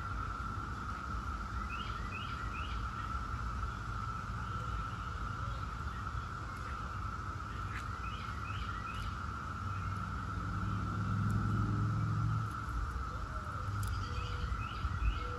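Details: Periodical cicadas of Brood X, the 17-year brood, hold a steady unbroken hum as bird chirps come and go and a passing low rumble swells and fades midway.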